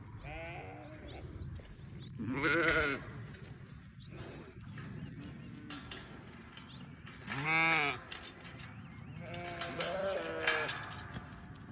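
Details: Newborn baby sheep give three loud, shaky bleats spaced roughly five seconds apart, each a wobbling harmonic cry. Quieter bleating and rustling fill the gaps between them.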